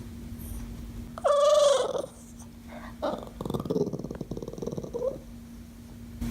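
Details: Dog making one drawn-out wavering whine, followed by a rapid rattling, pulsed grumble lasting several seconds over a constant low hum.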